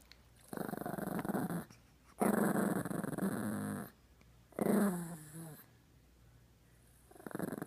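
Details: Chihuahua growling while humping a toy monkey: rough, rumbling growls in long bouts of one to two seconds, four bursts separated by short pauses, over a steady low electrical hum.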